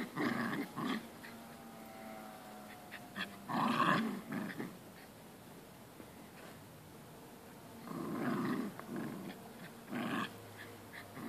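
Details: Pair of Jack Russell Terriers at play, testing who is stronger: scattered growling bursts near the start, a loud burst around four seconds, quieter stretches, then more growls around eight and ten seconds.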